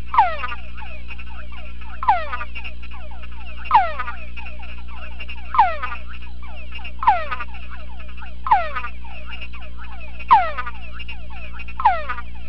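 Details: A male túngara frog in a sound-proof box gives repeated descending whines in response to played-back conspecific chorus, overlapping similar calls, with a steady low hum.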